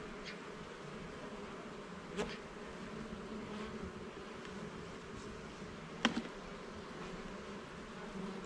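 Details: Honey bees buzzing in their hive during an inspection of all levels and frames in a garden; a steady low droning hum with two sharp clicks of handled frames near two and six seconds.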